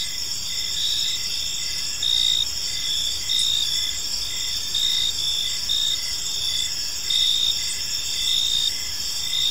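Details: Evening chorus of crickets in a peaceful park, a continuous high shimmering trill with louder pulsed chirps recurring roughly every second, no other clear sounds.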